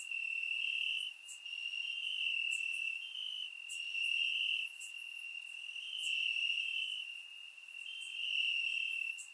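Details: High, steady cricket trilling from grass on a warm Bulgarian summer night, recorded in surround; the chirping rises in loud stretches about every two seconds, separated by brief softer dips, with scattered faint upper chirps.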